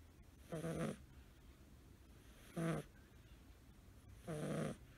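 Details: Five-month-old male blue tabby American Shorthair kitten sleeping curled up, snoring as loudly as a person. Three rough, buzzy snore breaths, each about a third of a second long, spaced irregularly over a few seconds.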